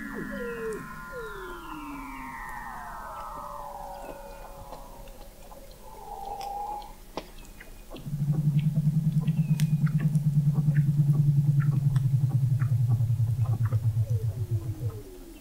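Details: Weddell seals in McMurdo Sound, Antarctica, under the sea ice, November 2017, observatory 21 m deep: falling whistles and chirps at first, then a loud low pulsed trill lasting about seven seconds, gradually dropping in pitch.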